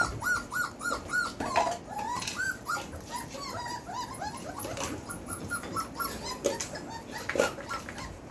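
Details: Four-week-old Belgian Malinois puppies from the Beastie/Barron litter, born 26 September 2021, whining in quick runs of short, high, arching squeals, several pups overlapping, with a few louder yelps breaking through.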